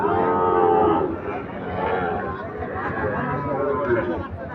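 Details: Cattle at the Ambari market, where Sahiwal and Gir breed bull calves suited for farms are for sale; a low, drawn-out moo of about one second opens, then steady crowd chatter and bargaining voices fill the rest.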